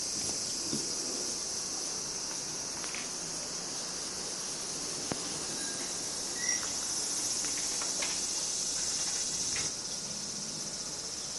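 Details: Summer insect chorus in Minami-Magome, Tokyo, Japan, recorded 8 August 1991, cicadas named: a continuous high-pitched buzzing wash, joined midway by a thin whistled tone and a few sharp knocks and clicks in the background.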